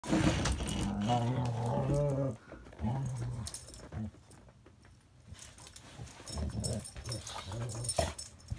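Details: A Border Collie cross and a Rottweiler playing together indoors: low, droning growl-like grunts in two bursts in the first half, then quieter scuffling and clattering with some background music.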